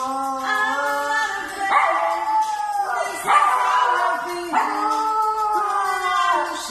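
A dog howls in sustained, quavering notes, each swelling, then bending downward before the next begins. A song with sung words plays underneath, and the dog seems to follow it.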